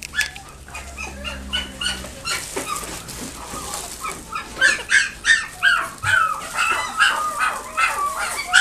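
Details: A Chihuahua at a pet shop in Nagoya gives quick, high-pitched yips in uneven bursts, with a faint low hum at first.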